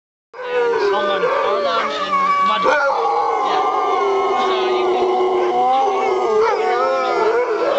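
A chorus of sled dogs howls together, long wavering cries overlapping at different pitches.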